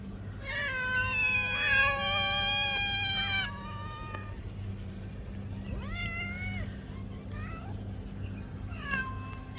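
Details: Domestic cat meowing for food; a long, loud harmonic meow with wavering pitch lasting about three seconds, followed by shorter rising-then-falling meows spaced a few seconds apart over a steady low hum.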